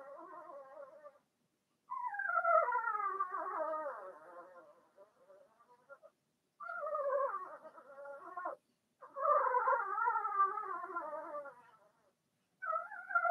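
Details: Blenheim Cavalier King Charles Spaniel puppies, a litter of six, two females and four males, whining in their indoor pen: sustained, wavering, high cries that slide downward, in long bursts that overlap almost continuously with only brief gaps.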